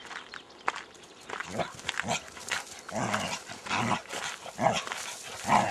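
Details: Border Collies, pet dogs filmed outdoors about ten years ago on Cannock Chase or the Great Orme at Llandudno, Wales, give a run of about six short, gruff barks. The barks come at uneven gaps of roughly a second over faint outdoor rustling.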